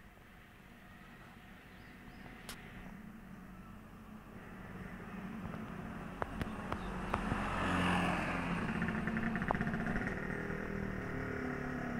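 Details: Outdoor traffic rumble swells toward the middle as a vehicle passes, with a few sharp clicks and knocks and no animal voice.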